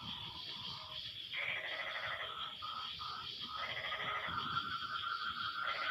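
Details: Post-rain frog chorus: bleating, pulsed trills from multiple callers overlap and answer one another, building in loudness, accompanied by a steady high insect buzz.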